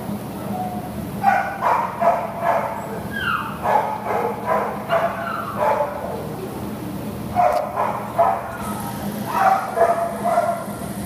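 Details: American Pit Bull Terrier offered for adoption on 6/11/2015 lets out rapid repeated barks in two main bouts, loud and rhythmic, against a low continuous hum.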